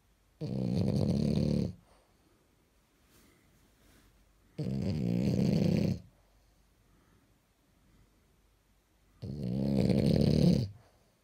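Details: French bulldog dressed in pajamas snoring indoors: three loud, rasping snores, each lasting over a second, separated by quiet pauses of about three seconds.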